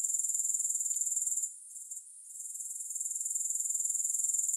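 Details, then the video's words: Grasshoppers with no accompanying music: a high, rapidly pulsing buzz that fades and falters for about a second midway, then returns to its full, even rhythm. "Grass Hopper Sounds"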